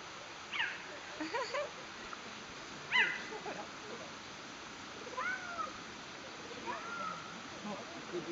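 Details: A cheetah at Tama Zoo, Japan, filmed around 2010, gives high, sweeping, chirp-like calls spaced a second or two apart, possibly toward other cheetahs in a separate enclosure, while another cheetah climbs a tree.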